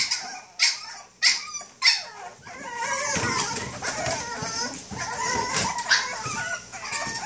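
A Boston Terrier gives three sharp, high barks about half a second apart, then grumbles and whines.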